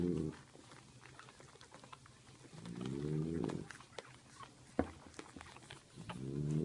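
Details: French Bulldog mother napping indoors while nursing her puppies: low, harmonic, groaning breaths about a second long, spaced a few seconds apart, with soft clicks and smacking sounds between.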